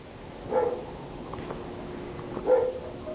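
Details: A dog gives two short, muffled barks about two seconds apart, each a brief mid-pitched burst, over a quiet, steady background.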